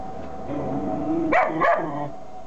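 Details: Kuvasz puppy, only three months old, barking at strangers with two quick, sharp barks in close succession against a low, constant hum.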